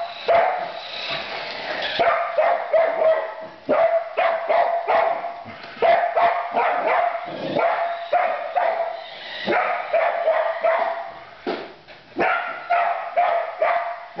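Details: Border collie, a female, chasing her new Christmas remote-controlled truck as if herding sheep, barks rapidly and excitedly, bark after bark in dense volleys through the whole stretch, with a person talking now and then.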